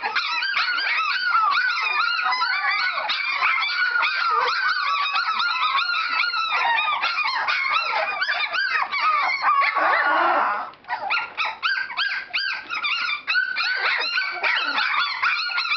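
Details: Standard Poodle puppies romping in the whelping box, many shrill whines and yelps layered into a steady din, a rustling bump near the end followed by choppier, sparser cries before the chorus fills in again.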